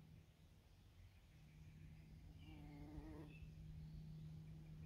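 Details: Many bumblebees on scabiosa flowers in a dacha garden plot in Germany: a steady low droning buzz runs throughout, with a brief louder harmonic-rich buzz rising and falling near the three-second mark.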